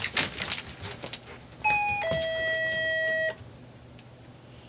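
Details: Keys jangle at first, then a two-tone ding-dong doorbell chime rings out and fades, with no animal voice.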